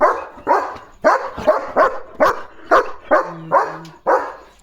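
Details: German Shepherd Leo, a pet dog, barks in guard mode when a parcel arrives: about ten sharp, hoarse barks in a rapid series, roughly two per second, with a faint low hum near the end.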